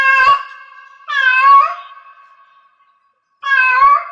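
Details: A cat in heat meows three times, one brief call, one long wavering wail fading slowly, then a sharp renewed cry after a short silence.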